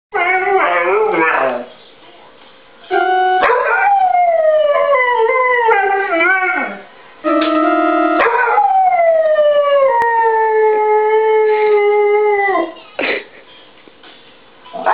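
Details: Dog singing along while music plays: long, sliding howls that rise and fall in pitch, some held for several seconds, broken by short pauses, with steady instrumental tones mixed in.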